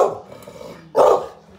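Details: A rescue Staffy-Ridgeback cross named Lizzie guards her owner at the door, giving two forceful barks almost a second apart with a low murmur between them.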